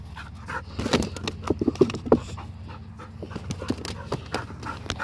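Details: Labrador Retriever in training, working at sit and coming in to heel with a bumper; rapid, breathy panting in uneven bursts over a steady low hum.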